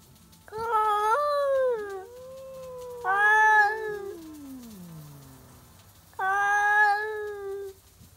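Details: Two stray cats, old rivals, meet at midnight in a yowling duet: long, wavering, harmonic howls rise and hold, one drawn-out cry sliding slowly downward between them, then a final sustained wail, with quiet low hum underneath.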